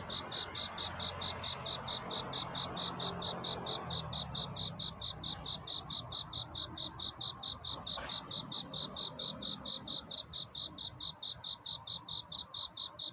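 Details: Cricket calling for a mate on a night toward dawn: clear, high, bell-like chirps repeated steadily at about three per second, with soft low rumbling behind.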